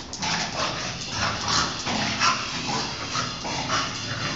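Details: English Bulldog and Chow Chow in a friendly play fight; a steady low growl rumbles under repeated huffing bursts and scuffling, with no pauses over a few seconds.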